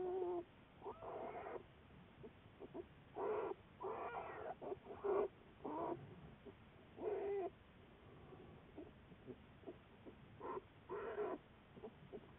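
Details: American black bear from a research study, recorded February 10, 2014: short whining calls, some with a bending tone, come in clustered bursts every one to two seconds against a faint low hum.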